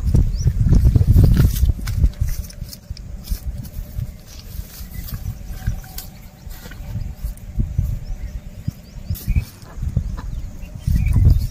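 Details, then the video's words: Cows and oxen eating grass while walking outdoors: rapid low crunching and tearing bites, roughly three per second, forming a steady muffled munching with heavier bursts near the start and end, against a quiet rural background. "Sound Of Cows Eating Grass"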